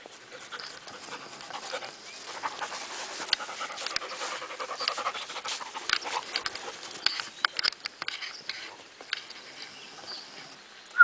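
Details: A male German Shepherd panting steadily, rapid breathy puffs running without a break for about eleven seconds, with faint rustling and a short sharp click at the very end.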